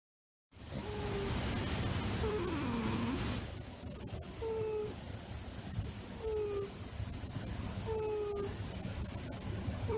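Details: Adult cat named Hina, which rarely comes onto a lap, snoring while asleep on one. A wavering tone comes first, then short, falling, whistled snore notes repeat about every one and a half seconds over a steady low rumble.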